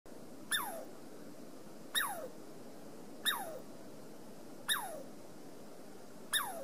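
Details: Douglas squirrel on the Amanda Trail giving sharp chirps that drop steeply from high to low pitch, repeated about every one and a half seconds, five calls against a quiet background.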